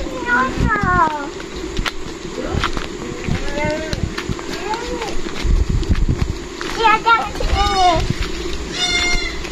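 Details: Goats being fed by a child give several wavering, quavering bleats in short bursts, some rising and falling, amid steady children's chatter and adult talk close by.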